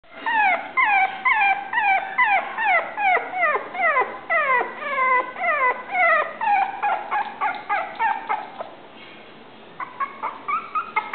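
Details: Cream-colored male Toy Poodle giving a rapid run of high, whining whimpers and yips. Each note slides downward, about two per second and unevenly spaced. The calls grow softer and more clipped near the end. Indoors, with no other sounds.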